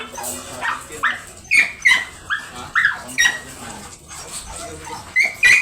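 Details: Doberman at a stud service in Bunuan, Dagupan City, Pangasinan, giving repeated high whining cries, each a short bent squeal, in uneven bursts over a noisy background.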